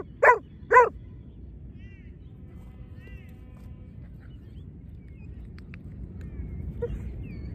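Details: Two sharp, heavy barks open in quick succession from a Giant Schnauzer at lure training with two dogs; afterwards only a low background rumble, light bird chirps and one faint muffled bark near the end.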